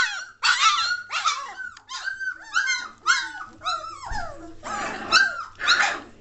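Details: German Shorthaired Pointer puppies of the 2014 Katelands litter, three weeks and one day old, growing lively and noisy; overlapping high yelps and squeals with rising and falling whines, several pups calling at once, with a faint low hum beneath.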